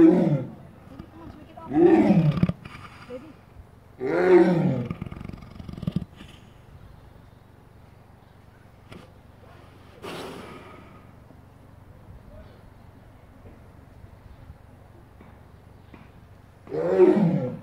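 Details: Sleeping lion breathing heavily, with deep rough groaning snores every two seconds or so, then a long quieter pause before another loud snore.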